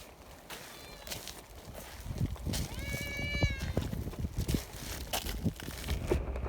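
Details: A mountain community cat, one of several fed promptly after a typhoon, gives a single clear, slightly falling meow midway, with a human voice and outdoor handling noises and thumps around it.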